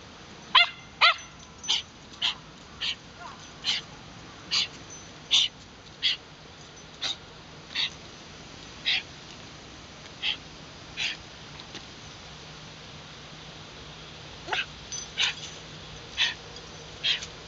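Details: Wire Fox Terriers Muu and Moa in Shinjuku Central Park, filmed with a LUMIX FT1, give a long run of short, high, clipped barks, about two dozen over seventeen seconds, with a brief pause midway and steady outdoor hiss.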